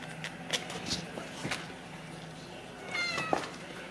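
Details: A Ragdoll kitten from a home cattery in central Kansas gives one short, thin meow that rises and falls near the end, amid scattered taps and light indoor room noise.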